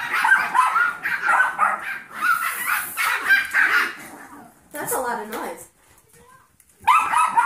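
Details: Foster Yorkshire Terrier puppies aged seven weeks, with mother Maddie and 15-week-old Golden Retriever mix Trouble; rapid high yips for about four seconds fade out, a short burst follows, then near silence before the yapping resumes.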